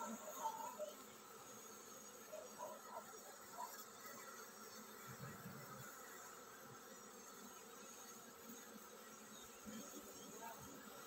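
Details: Honey bee colony getting ready to swarm, giving a dense low hum that stays level after a louder opening second, with faint flickering buzz throughout.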